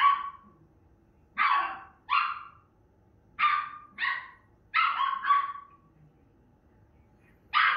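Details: Female Miniature Schnauzer barking indoors while watching herself on TV. About eight sharp, high-pitched barks over eight seconds, some single and some in quick pairs, separated by short quiet pauses.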